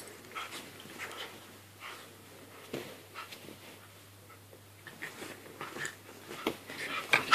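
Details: Staffordshire Bull Terrier and Jack Russell Terrier at play inside a small room; repeated rough growling snorts and panting bursts, building to louder yaps near the end, over a constant low electrical hum.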